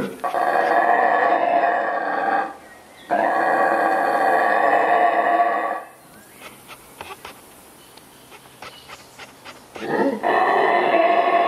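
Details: Mantled howler monkey (saraguate) of Central American rainforest giving long, sustained guttural roars, two bouts of about three seconds each, then a quiet gap with faint clicking before another roar begins.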